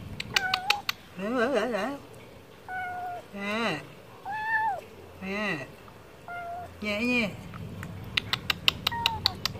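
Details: Stray cat asking for wet food with a series of wavering, quavering meows, some short and some rising and falling, mixed with lower trembling cries and bursts of quick clicking taps.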